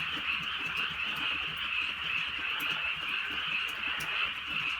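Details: Frogs croaking en masse through a drizzly rural night, a sustained shrill trilling chorus with gentle rhythmic pulsing, occasional crisp ticks, and soft rain sounds below.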